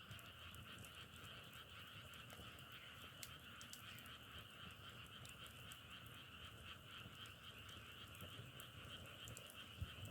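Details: Dense frog chorus outdoors, a steady trilling drone in two high bands held without pause, with scattered sharp clicks and crackles overlaid and a low rumble underneath.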